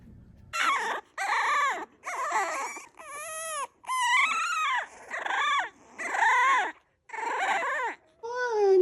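A French Bulldog puppy cries in a run of high, wavering whines, each about half a second long.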